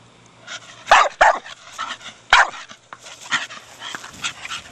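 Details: A four-year-old Staffordshire Bull Terrier barks while playing with his big hard plastic ball: three loud, short, sharp barks in quick succession, the first two close together, then softer scuffling and panting-like sounds.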